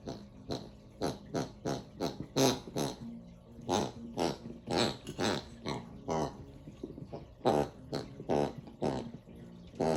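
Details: A Bernedoodle puppy makes short, pig-like grunts and snorts in quick irregular bursts while playing with his toy.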